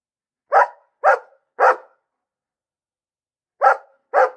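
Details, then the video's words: Dog barking in short, sharp, mid-pitched barks: three quick ones about half a second apart, a silence of nearly two seconds, then two more; quiet background. "Bellender Hund - Hunde bellen"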